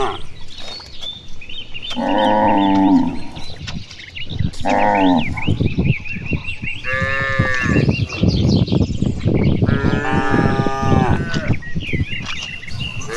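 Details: A herd of cattle grazing in spacious rice fields under a clear afternoon sky, calling to each other: two low moos early, then overlapping, harsher bellows from about 6.5 seconds, with busy birdsong behind.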